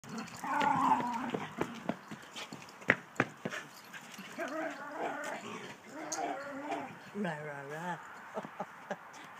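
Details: A Border Terrier runs around playing with a Yorkshire Terrier and growls playfully. Wavering, harmonic grumbling 'rarr' sounds rise and fall in the middle of the clip, with an earlier short growl and scattered clicks and thumps of movement.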